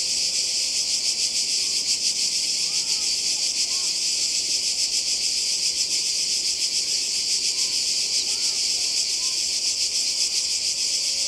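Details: Cicadas by the sea in Croatia during a 2020 summer holiday: a dense, unbroken high-pitched buzzing chorus that pulses slightly throughout, with a few faint short bird chirps further down.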